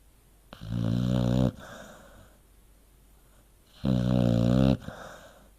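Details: Dog sleeping and snoring in two evenly spaced rumbles about three seconds apart, each a coarse, low buzzing inhale followed by quieter breathing.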